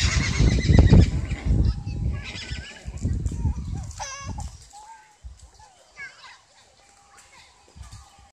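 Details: A Hartmann's mountain zebra at Kamine Zoo in Hitachi, Japan, on 24 May 2015 gives a wavering, harmonic, whinny-like call after low rumbling and murmured voices.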